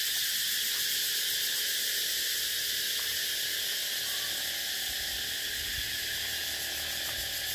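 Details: Cicada calling in a continuous loud, dense buzzing drone, high-pitched and steady throughout, with a faint rapid pulsing texture and no pauses; no other clear sounds.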